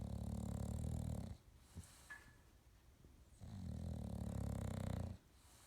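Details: An English Bulldog sleeping on his new bed with his eyes open snores in long, deep, rattling breaths with a quiet pause between them.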